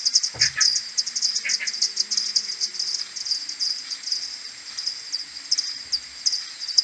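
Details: Maternity colony of common pipistrelles heading back to roost in the morning, 21 May 2022, AudioMoth 1.1, played ten times slower: fast ticking pulses throughout, two lower buzzy calls early, and a brief low thump.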